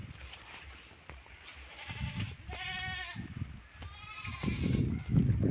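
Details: Goats anticipating their keeper's arrival with fodder in drizzling evening rain; two clear wavering bleats with bright harmonic tones, one longer and one shorter, among bursts of low rustling and thumping handling noise.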